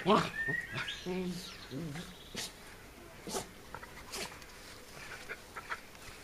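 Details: Two Shetland Sheepdogs, an eight-year-old senior and the youngest dog, playing together in a garden on 12 June 2014; a short, sharp harmonic yelp opens the clip, followed by murmuring human voices and scattered light knocks.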